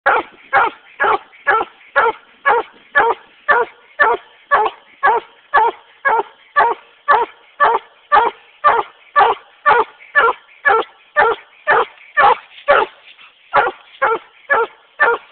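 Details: Treeing Walker Coonhound, a male, barking while treeing a raccoon: loud, regular barks repeated about twice per second for fifteen seconds, each bark harsh and clipped, with no other sounds.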